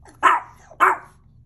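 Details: Mexican Chihuahua, hungry, letting out two quick, piercing barks roughly half a second apart against a quiet background.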